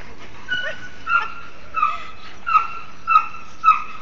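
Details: A Bull Terrier playing with a cat gives a steady string of brief, high, nasal whimpering yips, each a thin squeal sliding slightly downward, about one every half second.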